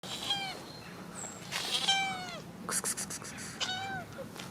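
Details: Cats meowing after rain: several clear, drawn-out harmonic meows, some sliding downward, spaced through the clip, with short trains of rapid clicking or tapping bursts between them over a soft background hiss.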